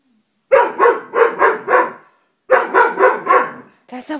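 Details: Dobermann barking in two quick runs of four sharp, deep barks separated by a short pause, followed by a brief different sound at the end.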